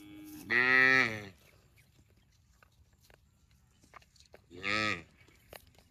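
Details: Two cow moos, the first stronger and slightly falling, the second shorter and softer about four seconds later, with faint clicks in between.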